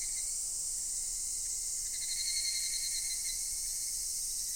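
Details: Cicadas in a great chorus at Daichuji temple, Ōhira town: a dense, unbroken shrill drone fills the upper range, with a fainter pulsing band weaving through its middle for the whole stretch.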